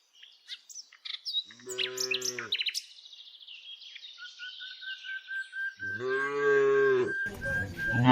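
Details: Tame village cows being herded, giving two low, drawn-out harmonic moos about four seconds apart, with birds chirping in between and a steady high whistle-like tone running beneath the second moo.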